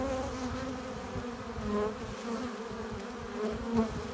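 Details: Honey bees at a hive entrance, arriving with pollen and nectar: a steady low hum of many wingbeats with layered tones, individual bees swelling louder as they pass close, especially near the end.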